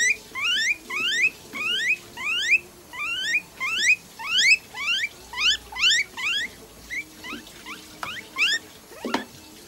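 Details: A pet guinea pig squeals repeatedly while being treated at a Nagoya, Japan animal clinic with eye drops, injection, light therapy, moisturizing and combing. About sixteen quick rising whistled wheeks come in a steady run over a soft background hiss.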